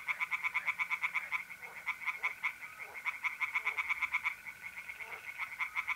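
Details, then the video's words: Tree frogs calling at night from a pond in mid-April, north-east Italy: rapid bursts of harsh, evenly pulsed croaks in fast series with brief pauses, over a steady high trill of mole crickets. "relaxing singing tree frogs in pond and trilling mole crickets by night"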